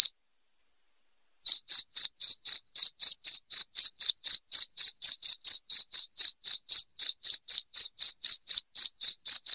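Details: Shrill cricket chirps, used as a rat deterrent at home, begin after a brief silence, then run as even, sharp, high pulses about four per second until the end. Nothing else heard.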